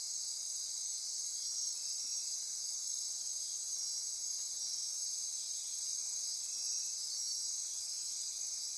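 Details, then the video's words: Dense nocturnal insect chorus in Costa Rican rainforest near Corcovado National Park on the Osa Peninsula at midnight; steady high-pitched buzzing and trilling layers, continuous and unbroken, with pulsing bands throughout. "Midnight Insect Chorus"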